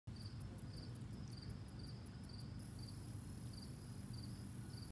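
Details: Slender meadow katydid. A slender meadow katydid gives its thin, very high song: a rapid train of dry ticks that switches into a continuous sizzling buzz. Soft repeated chirps from another insect and a low rumble of wind run underneath.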